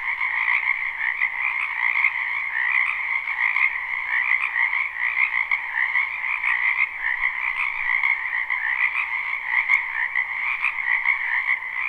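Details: Many frogs croaking in spring in a wetland behind a house, recorded live without looping: a dense, steady chorus of overlapping trilled calls forming two bands, one low and one brighter and higher, with no pauses and no other sounds.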